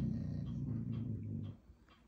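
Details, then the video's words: A young Alaskan Malamute puppy growls at a carved owl, a low, rumbling growl of about a second and a half, then quiets, with only faint room sound after. "Malamute Puppy Growls At Carved Owl"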